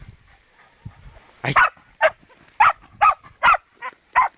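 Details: Fox terrier barking on its first encounter with a wild boar: after a quiet start, seven sharp barks come about every half second, with faint low rustling before.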